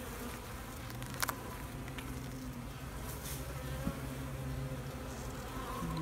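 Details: Bees humming in an open hive while a keeper checks a new queen, looking over frames for honey and eggs; a steady low drone throughout, broken by a few sharp clicks and knocks from frame handling.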